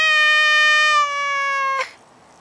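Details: Maine Coon cat meowing in a long, level, strongly harmonic tone that dips slightly in pitch and softens before cutting off abruptly.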